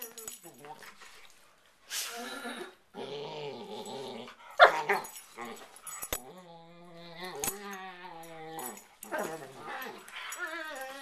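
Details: Two dogs playfighting on their owners' bed at night trade growls, snarls and long, steady whining tones, some held flat, others wavering, punctuated by sharp thumps and scuffling.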